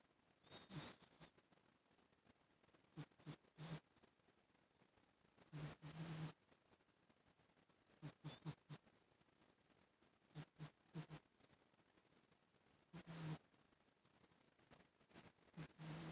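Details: Rosie, a sleeping pet cat, snores softly: quiet breathy bursts with a low hum at uneven intervals of one to three seconds, over faint background hiss.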